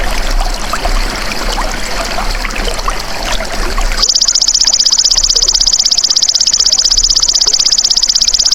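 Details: Golden grasshopper recorded as a masteran tutor for songbirds. Rustling, water-like background gives way at four seconds to a continuous, very rapid pulsed buzz, high-pitched and even, lasting to the end.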